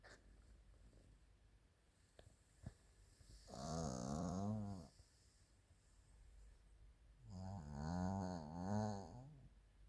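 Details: Chiroru, a female Maltese and Shih Tzu crossbreed born 2017, snores in her sleep: two drawn-out, low, vibrating snores roughly four seconds apart, each around one to two seconds long, with a few faint ticks between.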